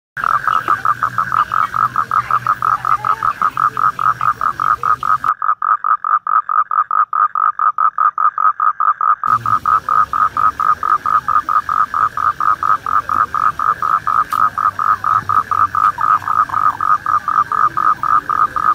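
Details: A toad during mating gives a long, steady pulsed trill. Rapid even clicks run together into one unbroken buzzing note. There is a low background hum, and the background drops out abruptly for a few seconds midway while the trill continues.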